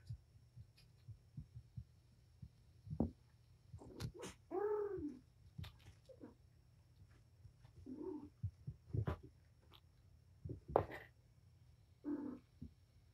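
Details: Mother cat Patience playing with her five kittens indoors; several brief meows, one longer wavering mew near the middle, mixed with sharp knocks and scuffling clicks over a low room hum.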